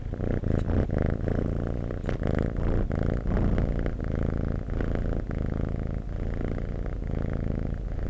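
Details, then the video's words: Cat purr heard up close: a steady, dense, low rumble holding an even level throughout, with faint clicks scattered over the top. "Cat Purring"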